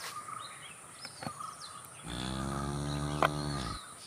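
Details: Cow letting out a deep, low, level moo of nearly two seconds after a quiet stretch, with scattered bird chirps and outdoor noise around it.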